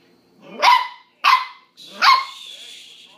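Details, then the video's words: Corgi puppy, afraid of an ice cube, lets out three sharp, high yelping barks about half a second apart. The last yelp trails off into a thin, drawn-out whine. "corgi puppy is afraid of ice cube"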